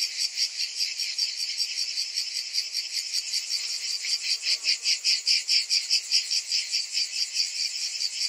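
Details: Cicadas on a summer day, massed high-pitched buzzing with rhythmic swells that grow stronger toward the end, nothing else audible.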